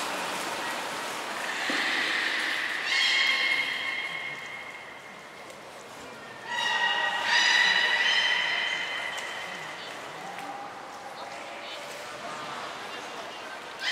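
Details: Captive belugas Mirai and Nico during a training session at Port of Nagoya Public Aquarium, 20 February 2021: two bursts of bright, harmonic, nasal tones near the middle of the range, the second louder and wavering, over a steady indoor hum.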